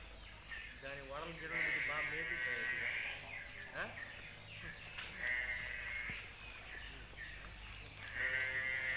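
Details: Ongole cattle calf calling with several drawn-out, harmonic bleating moos near the start and again at the end, with human voices in the background.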